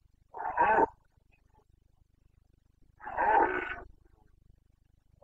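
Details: Carpathian stag roaring in the Bucovina rut, breeding season, 29 September 2022, Romania: two deep, raspy bellows, each lasting about half a second, separated by a quiet gap of over two seconds.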